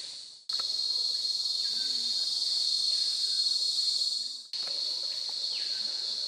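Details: Cicadas on the Montagne des Singes trail in French Guiana fill the air with a loud, steady, high-pitched buzzing drone that barely wavers.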